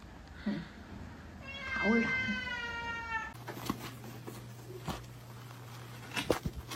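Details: Domestic cat giving one meow about two seconds long, a stacked harmonic tone that holds fairly level, with a background hiss, then clicks and knocks.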